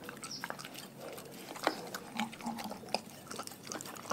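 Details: Dogs from a pack fed raw food chew and crunch steadily, with loud bone-cracking bites, wet smacking, and a few short snuffling, grunt-like noises between mouthfuls.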